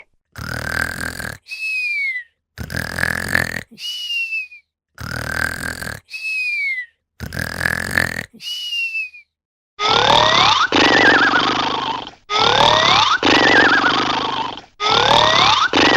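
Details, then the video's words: Bichon Frise snoring while asleep: a rhythmic rasping inhale about every two to three seconds, each followed by a short falling whistle; later snores turn louder and harsher, with wavering whistled tones woven through the breathing. "Cute bichon is snoring. Good night💫Бишон храпит"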